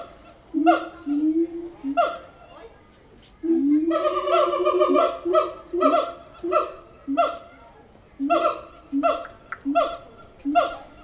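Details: Several captive siamang apes at the Tulsa Zoo calling: loud harmonic barking hoots in irregular bursts, some rapid and overlapping, with short pauses between rounds.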